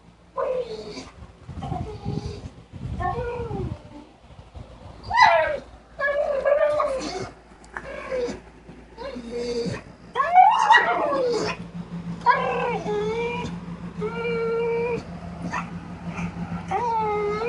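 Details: Sugar, a pet dog, making mysterious warbling sounds of excitement: a run of wavering, rising and falling whines and yelps with rich harmonics, several per second, over a steady low hum indoors.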